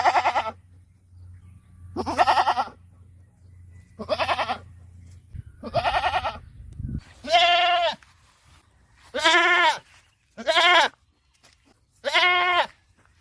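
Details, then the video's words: Series of goat bleats on a farm, roughly eight calls: earlier ones rougher and buzzy over a low hum, later ones clearer, tremulous and more tonal, spaced one to two seconds apart. "Goat Bleating Sound | What Does a Goat Really Sound Like?"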